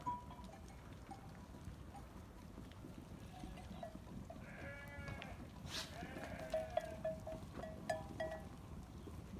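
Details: Sheep on a farm bleating: two wavering, harmonic bleats around the middle, over a steady low rumble, with bell-like ringing tones repeating near the end.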